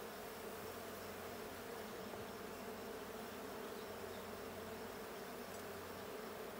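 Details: During a 20 June 2022 check of the Blue hive, honey bees keep up a thick, continuous drone, with a deeper hum that swells and fades in a few pulses against the steady buzz.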